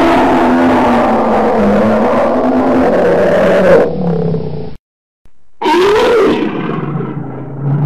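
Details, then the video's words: Deep, raspy bear roar held for nearly four seconds and fading, then a gap of silence before a fresh rising growl with a rumbling low tail. "Tiếng kêu của con Gấu | The sound and picture of the Bear"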